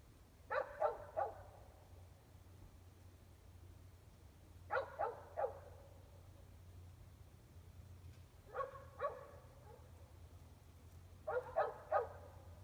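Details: Distant dogs, all but one indoors, barking about 400 feet away at 8 pm on a February 2020 evening in Gem County, Idaho; clusters of three or four quick barks recur every three to four seconds above a constant low droning hum.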